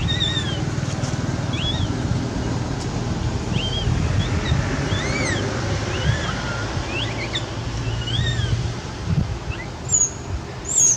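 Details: Begging for milk while frightened, Quinton the cat utters many small, soft arched meows scattered through the recording, partly buried in a loud steady rumble like engine or surf noise.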